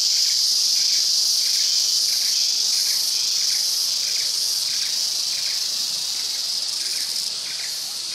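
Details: Trengganua sibylla, the green and black cicada, chorusing in Perak, Malaysia. An unbroken shrill buzzing drone with quick regular pulses of about three per second beneath it, fading slightly toward the end.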